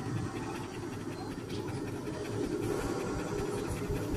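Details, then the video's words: German Shepherd panting hard, a rapid breathy rhythm of about three to four huffs per second over a low, steady rumble, likened to a chugging train. "Panting like a train"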